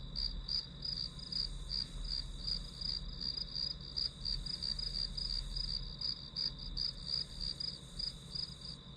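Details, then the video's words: High-pitched pulsing from grass insects, quick chirps packed close together at roughly three per second, over a sustained thin whine and a low rumbling ambience. "풀벌레 소리"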